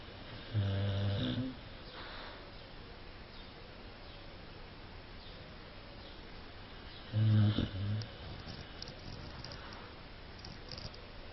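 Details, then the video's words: Cane Corso dog snoring: two loud, rough, low droning snores about six seconds apart, each lasting under a second, with quiet breathing noise between them. "Храпит собака"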